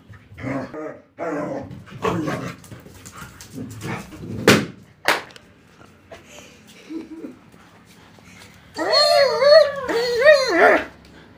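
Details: German Shepherd playing with a balloon: several rough barks and a couple of sharp clicks or pops, then a quieter stretch before a drawn-out, whining, yelping cry with wavering pitch near the end.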